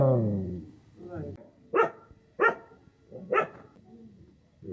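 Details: A person speaks briefly, then a dog gives three loud, sharp barks spaced under a second apart, with murmured voices continuing underneath.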